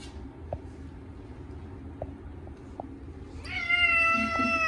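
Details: Bath-time protest from Chacha, a short-legged male Munchkin, getting his first wash in a year with a catnip cat shampoo; after quiet dripping and soft clicks, a loud, sustained, level-pitched meow bursts in and holds to the end.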